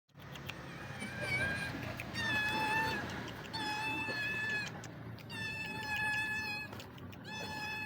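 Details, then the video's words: Hungry street cat meowing: long, drawn-out, harmonic-rich meows repeated about every second or two, each held steadily, with a noisy outdoor background. "The sound of a hungry street cat"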